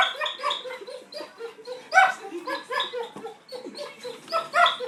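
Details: Pet dog whining so that it sounds like laughter: quick bursts of short, pitched whimpering yips, repeated in uneven runs, with brief pauses between bursts.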